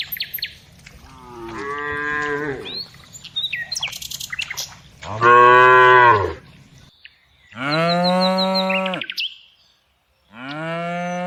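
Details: Four separate moos from tame cows herded every afternoon, the last ones loud and bending downward at the end, with bird chirps scattered between the calls.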